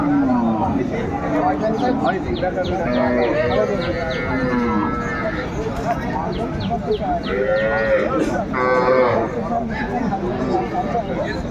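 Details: At the Aftabganj cattle market in Dinajpur, Bangladesh, on 12/2/25, cows and calves low repeatedly. Several drawn-out, wavering moos overlap across the recording, with people talking and bargaining nearby.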